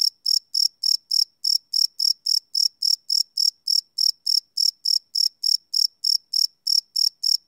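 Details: Crickets calling after dark, recorded live on a Sony PCM D100: a continuous train of shrill chirps, roughly 27 in seven and a half seconds, regular and unbroken against a silent background.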